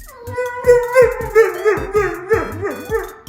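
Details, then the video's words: Dog giving a weird, musical vocal show: a wavering, sung howl with repeated pulsing rises and falls, about a dozen swells in quick succession, with a low thumping beat underneath. "Dog’s Weird Sound Show"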